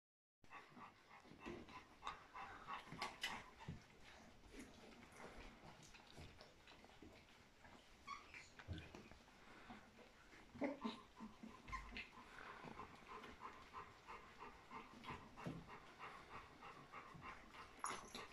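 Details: A litter of 14 newborn Golden Retriever puppies being raised by their mother squeaks and whimpers in a steady, overlapping chorus, with some human voices.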